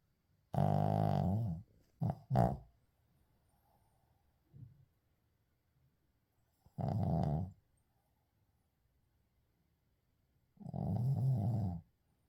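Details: Shih Tzu named Uijung asleep and snoring, recorded unedited: three long rasping snores about four seconds apart, each a low harmonic drone roughly a second long, plus a quick double snort early on and a faint breath between them.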